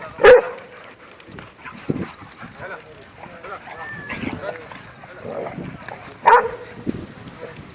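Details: Lara, a Labrador Retriever, playing with other dogs; two sharp barks stand out near the start and end, with scattered small yips, rustling and Greek speech in between.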